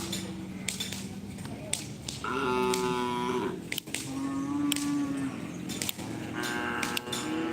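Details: Trained Karapan Sapi racing cattle at the Asemanis ground, Pamekasan, Madura, East Java: several steady, harmonic moos of one to two seconds each, overlapping one another, above a busy crowd with clapping and background music.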